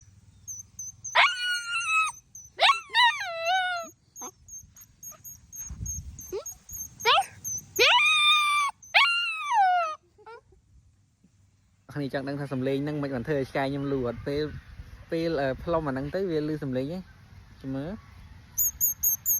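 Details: Pet dog howling in reply to a flower blown like a whistle: a thin steady high whistle tone, then drawn-out falling wails, several in a row, followed by a person talking over more whining howls.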